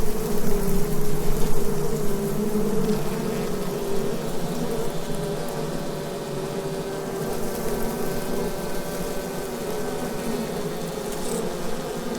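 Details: Asian hornets (Vespa velutina) at their nest in an oak tree beside the Abruñeiras footpath, Noia, Ría de Noia: a steady, dense low hum of many wings with layered drone tones, slowly swelling and fading.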